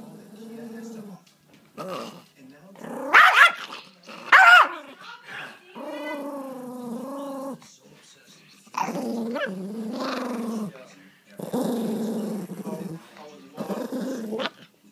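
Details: Pomeranian angered after its treat was taken away, giving rumbling, whining growls in several bursts, with a person talking in between and two louder sharp outbursts near the start.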